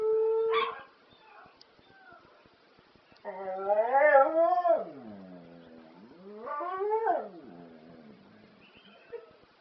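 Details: Domestic dog howling along to the ELO song Telephone Line: a brief steady tone, a pause, then two long wavering howls that rise and fall, each dropping away at the end.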